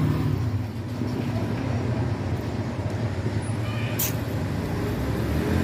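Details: Steady low traffic rumble with a brief air-brake hiss; no animal sound is heard. The noise of passing vehicles fills the whole recording.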